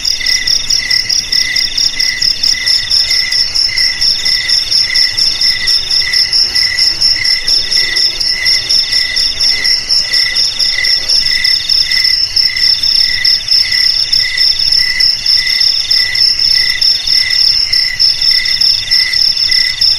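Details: Crickets chirping as a rat deterrent for homes, garages, warehouses and paddies: a long, unbroken run of shrill pulsed chirps, multiple callers layered in a constant ringing chorus.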